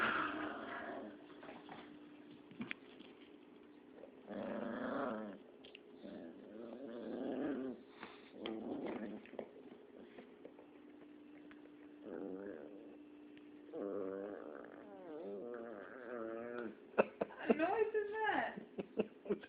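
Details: Domestic cat making strange noises while playing catch indoors: repeated short wavering, harmonic chirps and trills in bursts over about twenty seconds, with a person talking between them.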